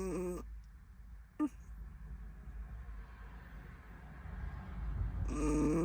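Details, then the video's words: Chihuahua asleep and snoring, a low, steady rumble of breathing that grows louder toward the end, framed by brief nasal, whistling whines at the start and the finish and a single short squeak in between. "How does a chihuahua snore?"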